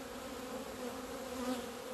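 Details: Steady drone from many honey bees in flight on 17 February 2020, out in the sunshine at last after two months in the hive. The low and middle hum tones swell slightly near the end.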